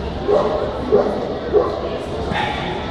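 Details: American Pit Bull Terrier at a dog show in Fortaleza, Brazil, on 1 September 2002, giving three short barks about half a second apart amid loud crowd chatter and hall noise.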